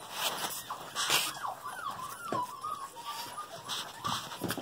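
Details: Female puppies just over five weeks old, several littermates together, give a string of high, wavering whimpers that slide up and down, some drawn out and bending, over a background of rustling and light scuffling.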